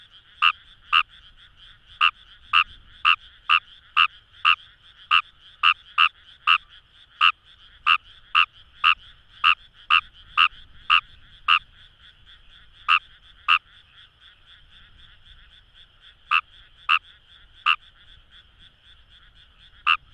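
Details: Wild Kawamura's rice frogs in paddy fields at Itoshima, Fukuoka, Japan. A close caller gives a run of quick, evenly loud croaks, pauses briefly, then resumes with scattered notes, while a dense frog chorus hums steadily behind.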